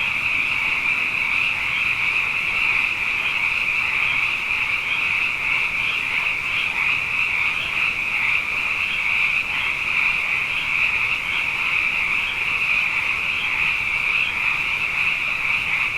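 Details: Frogs, abundant after two wet years running, fill the night with a steady, loud chorus of high trills, a shimmering continuous band with regular pulsing beats and steady loudness.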